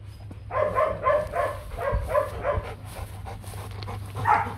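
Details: Nano, a young male Rottweiler breeding dog, gives a run of evenly spaced short barks, about three a second, then a final bark after a pause, with a constant low hum underneath.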